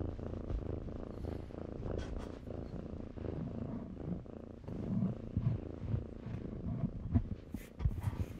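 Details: Kittens tumbling in blankets give a low, uneven purr, partly masked by rustling and bumping of fabric that grows louder toward the end.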